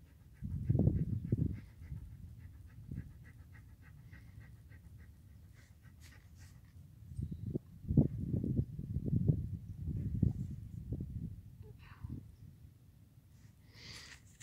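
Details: A dog panting while hiking the Pacific Crest Trail in the hills of southern California. Quick, breathy, low puffs come in rapid clusters near the start and again midway, with quieter stretches between and faint rustling throughout.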